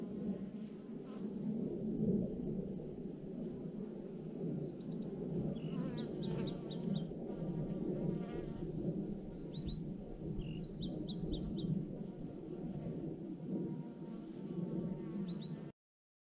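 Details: Thousands of honey bees in a swarm hanging in a massive clump on a branch: a dense, steady low buzzing hum throughout, with several short, high chirping bird calls scattered over the top.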